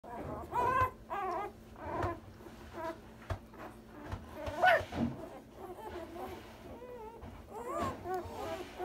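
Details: Newborn Komondor puppies, one day old, from a single litter, giving thin high squeaky whimpers in short separate bursts, some rising then falling, with quiet pauses between and faint background shuffling.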